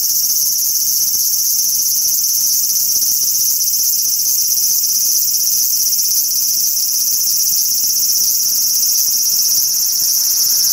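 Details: Large brown cicada singing on a cherry tree in a park: an unbroken, loud, sizzling high-pitched buzz that holds steady for the whole stretch, with no pauses and only faint low background rumble.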